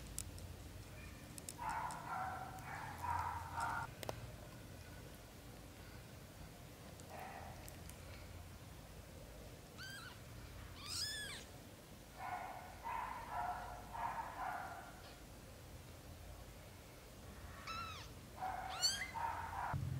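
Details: British Shorthair kittens under a month old, a litter of four with black golden and blue golden coats: a few sharp, high mews rising steeply, mixed with soft rustling and shuffling bursts and muffled movement sounds indoors.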